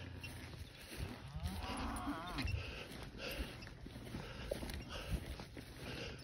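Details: Cattle lowing: a drawn-out, wavering moo with visible harmonic bands near the two-second mark, rising and falling, over a steady low rumble and a constant high hiss.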